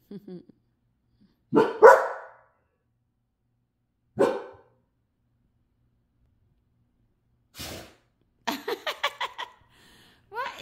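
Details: Pet dogs at night: whimpers, two loud barks, a lone bark, a soft noisy burst, then a quick run of short yips and a final rising yelp.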